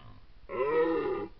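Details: An adult male red deer, caught on a camera trap in the Apennines at Foreste Casentinesi National Park, gives a single hoarse, moaning rutting bellow lasting under a second: Red deer.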